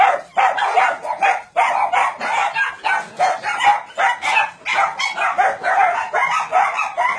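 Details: A crowded chorus of barking dogs at a meat farm cum puppy mill in Nonsan city, South Korea, January 2017: continuous, overlapping bright barks and yips from many animals, with no pause across the whole stretch.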